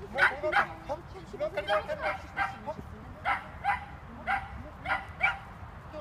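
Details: Border Collie giving rapid excited barks during an agility training run, short sharp yaps coming about three per second, over background chatter and ambient noise.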